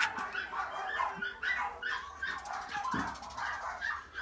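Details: Long-haired miniature dachshund puppy, a silver dapple female born in April 2018, gives high, thin whining whimpers and short yips in quick irregular bursts, with soft rustling and low background murmur indoors.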